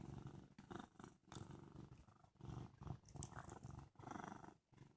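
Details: Sleepy male cat named Sage, freshly awake, purrs in rhythmic pulses, a deep vibrating rumble on each inhale and exhale about once a second, with short silent breaks between breaths and slight handling noise.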